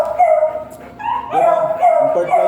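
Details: Giant long-coated Golden Retriever stud dog at Binalonan, Pangasinan, giving a high, drawn-out whining whimper that rises and falls over two and a half seconds, with short breaks, loud and close.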